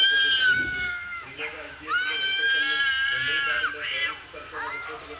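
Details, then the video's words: Cat sounds played from a mobile phone to a mature cat, including kittens meowing and cats fighting: dense run of drawn-out, tonal meows and wails, several level and sustained, others sweeping upward. "Cat reacting to cats sounds played on mobile phone. (Kittens meowing, cats fighting etc)"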